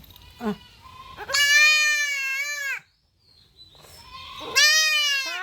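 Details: Goat kid under castration giving loud, drawn-out, strained bleats, two long cries separated by a brief pause, with a soft voice just before.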